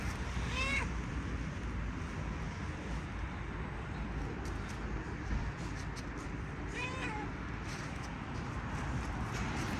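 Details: Tuxedo domestic cat meowing while walking: two short, clear meows, each rising then falling, roughly six seconds apart, over a steady loud rumbling background noise with faint rustles.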